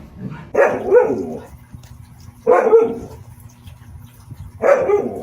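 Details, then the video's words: Siberian Husky giving three harsh, drawn-out bark-yowls spaced about two seconds apart over a steady low hum. "Tunog ng SIBERIAN HUSKY | Sound of SIBERIAN HUSKY"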